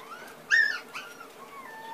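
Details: Small light-brown puppy giving one thin whining whimper that rises then dips, followed by a softer shorter whine and faint drawn-out squeaks, in a quiet indoor setting.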